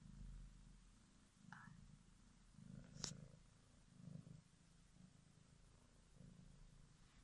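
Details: Domestic kitten from a litter of four born in February 2017, purring with a steady low rumble that swells and fades in slow waves, a sharp click near the middle.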